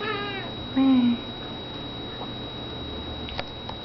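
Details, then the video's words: Playing pet cat gives one short, flat meow, with the tail of an earlier meow at the start, then near quiet with a few faint clicks. "Vespa meows n plays"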